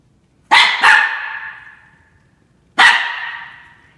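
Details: Young Norfolk Terrier, under a year old, confronting a cat indoors, letting out two sharp, high barks in quick succession, then a third bark after a two-second pause. Each bark rings on in a reverberant room.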